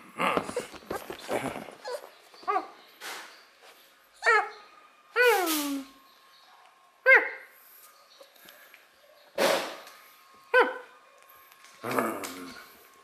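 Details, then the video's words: Beagle puppy, happy and playful, reacting joyfully to play calls: a series of high, harmonic whimpers and yelps with falling and rising pitch, spaced every one to two seconds, some short yips mixed in. "A Real Happy Beagle Pups named Dory Joyfully Reacts to Play Calls"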